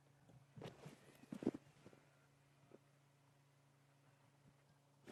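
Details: On an August morning game drive in Sabi Sands, impala, called silly by the guide, give a few short, explosive snorts in harsh, close-set bursts of breath over the low drone of an idling vehicle engine.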